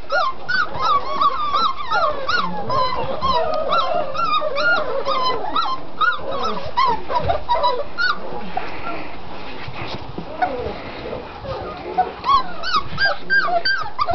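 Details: Six-week-old puppies from one litter, including several males, whimpering and yipping in rapid overlapping bursts, many short rising-falling whines repeated almost continuously; a person speaks nearby.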